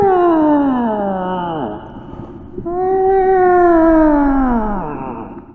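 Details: Two drawn-out whale moans, each gliding slowly downward in pitch with bright overtones. A quiet pause of under a second separates them, and a low murmur of background noise runs underneath.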